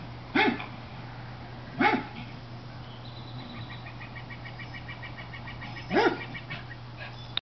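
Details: Cairn terrier barking at squirrels while on alert: three sharp single barks spaced irregularly over seven seconds, with a rapid repeated chirping bird call in the background and a steady low hum.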